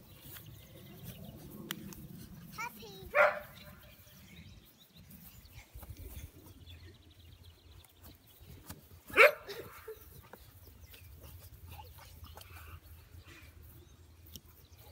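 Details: Unnamed young American Bully puppies: two loud, abrupt squealing yelps about six seconds apart, separated by quiet shuffling and faint background murmur.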